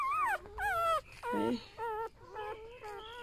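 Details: Newborn golden retriever puppies, one of a litter of eight, give high, wavering whines. Each cry bends downward and is followed by short, looping squeaks, coming in quick bursts with brief gaps between them.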